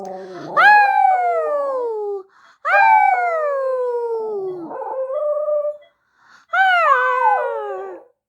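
A Xoloitzcuintle howls three times, with brief pauses between. Each cry is long and tonal, starts fairly high and slides downward, sometimes wavering into a yodelling whine near the end.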